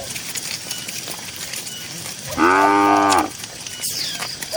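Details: One clean, full-bodied moo from tame cattle grazing in a cool green field, lasting under a second and richly layered, with a quiet outdoor background before and after.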